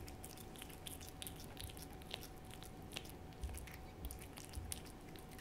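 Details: Hodu, a pet cat, eating a Ciao Churu treat indoors: soft wet licking and smacking clicks in irregular bursts, a few louder taps near the end, over a low steady room hum.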